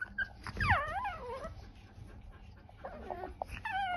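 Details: A Chihuahua 'talks', recorded 3 March 2024, with a wavering whine that dips and rises over about a second, then quieter muffled murmurs and a faint high whine near the end.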